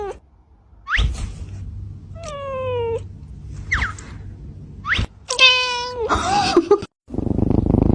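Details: Cat in a compilation of funny, cute cat and kitten moments: several harmonic meows, some short and sharply rising, others longer and level, spread over a few seconds, then a burst of broadband rustling noise at the end.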